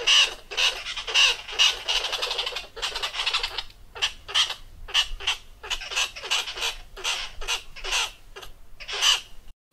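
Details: Tree squirrel (Paraxerus cepapi) in Southern Africa gives an alarm call warning of a ground predator: harsh, rasping chatters, about one burst per second, each a quick run of scratchy clicks.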